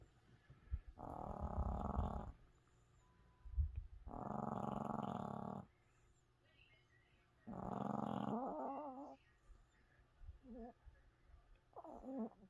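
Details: A sleeping Chihuahua snores surprisingly loud. Three long, grinding snores of over a second each are followed by fainter, shorter snuffling breaths near the end.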